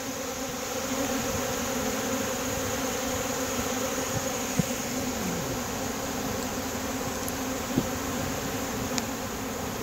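A dense, steady hum of many honey bees buzzing together at a feeder.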